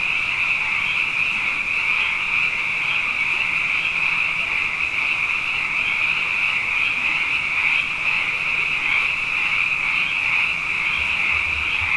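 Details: Night chorus of many frogs, plentiful after two consecutive wet years: a continuous shrill, trilling wall of calls holding one steady pitch, gently swelling and fading, with faint low rumbles near the end.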